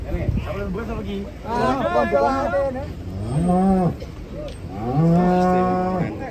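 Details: Very large cattle giving two long, deep moos, each swelling and holding steady before ending, after a brief burst of talk and a nasal vocal sound at the start.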